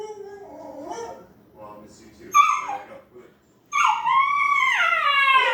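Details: A young Siberian Husky learning to howl starts with soft, wobbling whimpers and a sharp yelp, then settles into a sustained, tuneful, yodelling howl that rises and bends before trailing down.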